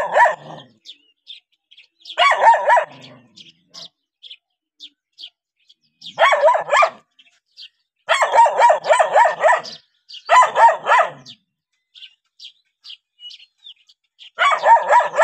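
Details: Dog reacting to a stranger barks in repeated bursts of rapid, rhythmic yaps, about four fast barks per second within each burst, with light clicking noises between bursts.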